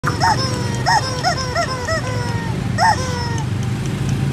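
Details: Four 2-month-old red-and-white Shiba Inu puppies whine in thin, high-pitched yelps, each rising and falling, several in a quick run and then another after a pause, over a steady low rumble.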